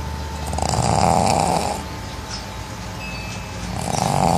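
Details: Pet pug snoring loudly in its sleep: two long, rough, rasping inhales, the first lasting over a second and the second starting near the end, with a quieter breathy pause between them.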